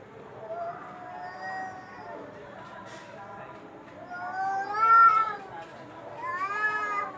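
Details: Domestic cat uttering a series of wavering, whiny meows, softer at first and building to two louder, bright, drawn-out calls near the end, with faint voices underneath.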